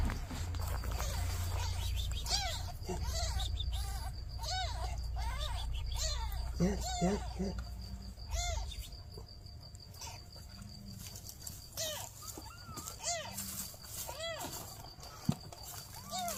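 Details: Newborn kittens and their mother cat asking for help: many short, arched mews repeated in quick irregular bursts over a steady low rumbling background with some rustling.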